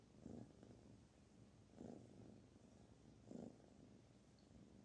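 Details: Barfi, a kitten being petted, purrs in a low buzzing rumble that swells with each breath, about every one and a half seconds, over a quiet room hiss.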